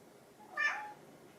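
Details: Short, bright meow from a hungry pet cat, either orange tabby Chai or silver tabby Sushi, begging for food at home; one quick rising-then-falling cry about half a second long in a quiet indoor room.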